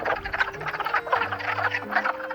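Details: A dense chorus of wood frogs in early spring, gathered to breed in a forest vernal pool with eggs already present: short hoarse clucks overlapping like distant quacking ducks.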